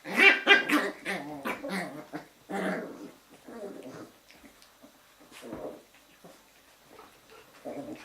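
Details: Litter of Jack Russell Terrier puppies at a kennel during an evening play session: loud bursts of high yapping barks and yelps, then softer scattered growls and whines as the romp continues.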